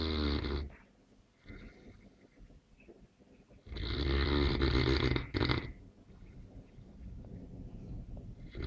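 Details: Neapolitan Mastiff asleep, snoring: a loud, rattling inhalation opens the recording, followed by quieter wheezy breathing, then a second deep, harsh snore lasting about two seconds before fading into soft breaths.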